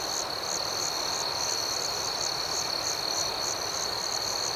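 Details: Crickets at night form an even, shrill drone while higher chirps pulse regularly, roughly two or three per second, with no other sounds.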